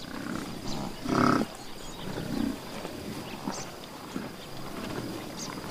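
A buffalo gives a short, deep growling bellow, followed by a softer grunt.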